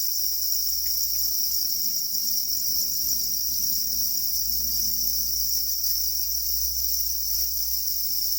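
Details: Black crickets calling angrily while guarding their eggs: a steady, unbroken high shrill trill with a second band above it, held for the whole stretch over a faint low hum.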